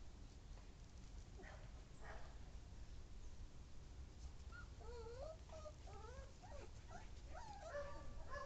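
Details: Siberian Husky puppies playing with their mother: after a stretch of steady low background noise, a run of thin, wavering, high whimpers and squeals begins halfway through and continues in quick overlapping bursts to the end.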